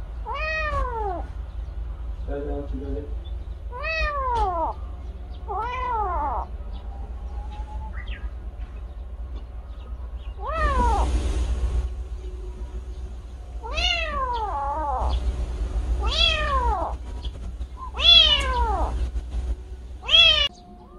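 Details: A kitten that lost its mother follows a person weeding a field in the morning. It meows repeatedly, roughly every two seconds, in short arched cries. A brief human voice and rustling break in midway.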